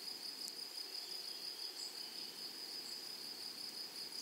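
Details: Grasshoppers chirring in a flowery meadow: a thin, sustained, high-pitched buzz that stays level throughout, with a couple of brief ticks and low ambient rustle in the background.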